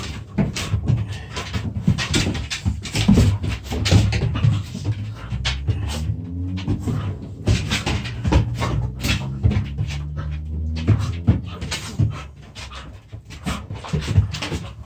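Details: Dogs play-fighting as puppies in a small room, trading deep rumbling growls. Midway come drawn-out, tonal growl-whines with clear stacked layers, amid constant scrabbling, knocks and heavy panting breaths.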